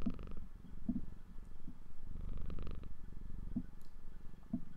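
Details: Female house cat purring indoors while sitting in the way of someone studying: a continuous low rattling rumble pulsing rapidly, with faint rustles and no speech.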